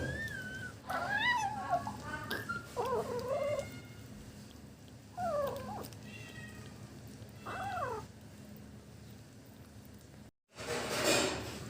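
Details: Kitten eating fish for its first time, making sounds like yum-yum: several short, wavering, squeaky mews repeated every couple of seconds over soft background noise, ending in a brief burst of rustling noise.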